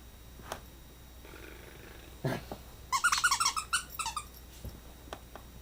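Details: A playful corgi puppy gives a quick burst of high, squeaky yips, with a soft thump just before.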